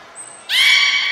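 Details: Beluga in a training session at Port of Nagoya Public Aquarium, 10 February 2024, with Gray, Nana and Mirai. A thin, high pure whistle tone comes first, then a loud, harmonic, nasal call that holds steady to the end.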